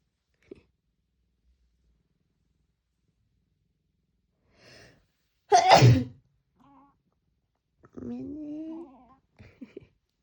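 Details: Jjinju, a pet cat indoors, reacts to a person's sneeze with an odd noise as if finding it too loud: a sharp human sneeze, then a short nasal, rising cry under a second long, with faint small noises around.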